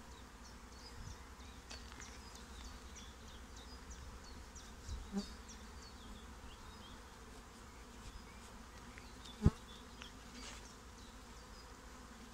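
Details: Swarm of honeybees settling into a new home: dense, continuous low buzzing from countless bees, occasional louder passes of single insects close by, and scattered faint bird chirps above.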